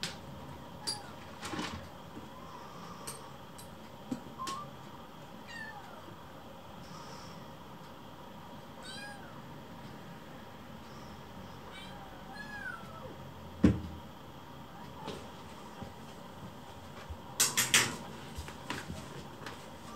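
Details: Hungry rescued kittens surround their keeper while food is prepared, begging with short, thin, sparse meows every few seconds against a quiet indoor background with occasional clicks and knocks.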